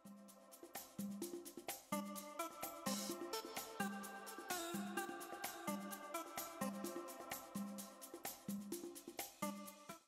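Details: Upbeat electronic music with a regular thumping beat and layered synth notes plays throughout, with no animal sounds heard.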